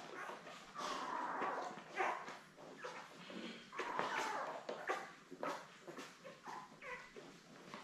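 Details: Newborn Labrador Retriever puppies, seven born May 24, 2021, with mother Belle on a June 3 puppy cam; short overlapping squeaks and whimpers repeat rapidly over busy rustling and sucking sounds.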